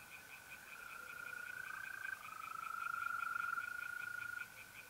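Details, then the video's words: Night chorus of tree frogs at a pond in north-east Italy in mid-April, with a quick run of rhythmic pulsed notes repeating in the background and a continuous mole cricket trill that swells and fades. "relaxing singing tree frogs in pond and trilling mole crickets by night"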